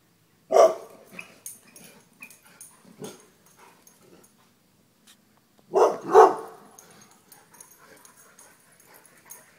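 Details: Dogs running from a deer mount, with one loud bark, scattered softer sounds and scuffling, then a louder double bark midway followed by quieter yips and rustling.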